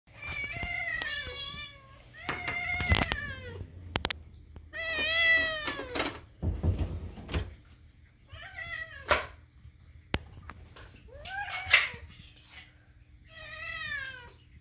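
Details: A cat licking a spoon while begging for food gives a run of high, wavering, kitten-like meows.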